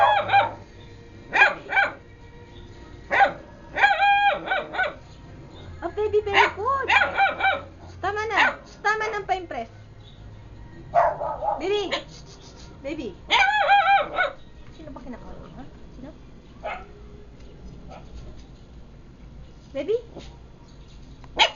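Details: Frienster, a pet dog, giving its first barks: short, high, yelping bursts with bending pitch, coming in irregular clusters over about twenty seconds, mixed with people talking nearby.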